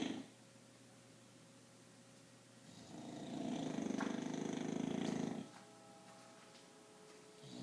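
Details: An English Bulldog, fast asleep, gives one long, rumbling snore over a steady background hum; two bulldogs are asleep and snoring.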